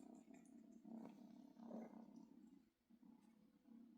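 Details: Domestic cat purring as a kitten seeks milk and attention from its father; a steady low rumbling throb with soft rhythmic pulses, swelling and fading over a few seconds, faint rustling above.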